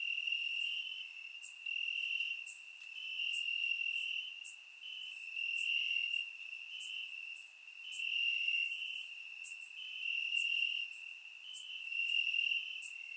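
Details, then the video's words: On a warm summer night in Bulgaria, crickets chirp in the grass, recorded in surround sound: steady high trilling in waves of about two seconds, with occasional sharp high clicks. "Cricket Sounds - Crickets Chirping at Night"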